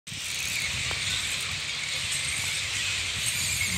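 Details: Thousands of bats hanging in a roost at Raymond Terrace give a dense, steady hiss of high squeaks and chatter from the large crowd.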